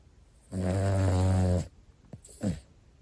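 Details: A sleeping Pomeranian, one of two brothers, gives a long, loud, buzzing snore lasting over a second, followed by two short, softer snorting breaths in a quiet room.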